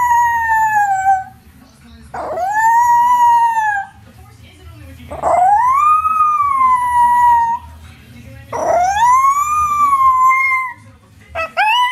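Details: Miniature Schnauzer singing with repeated sustained tonal howls roughly every three seconds, each swooping upward and then gently sliding down, separated by brief quieter gaps with soft background noise.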